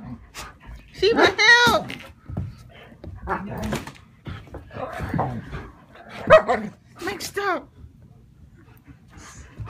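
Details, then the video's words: Two pet German Shepherds, Sheba defending her owner from Max: a pair of high, wavering whines early on, short barks and further whiny yelps later, mixed with people talking throughout. "German shepherd Sheba guards me from German shepherd Max"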